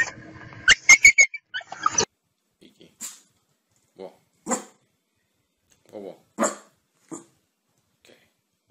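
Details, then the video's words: Happy pet dogs barking out loud for fun: a quick cluster of sharp yelping barks opens, followed by short, isolated barks spaced roughly a second apart with silent gaps between them. "Dogs barking out loud for fun happy dogs"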